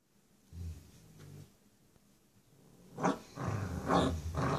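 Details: Six-week-old female Rottweiler puppy playing tug of war with her mother: low rumbling growls in bursts, a short one near the start and a louder stretch later, with indoor play noise.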